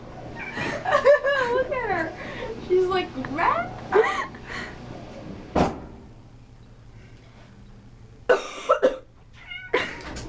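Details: Mouthy female house cat protesting at a person coughing or sneezing; several wavering, bending meows in quick succession early on, then a cough, quiet room and short sharp sounds amid human speech and laughter.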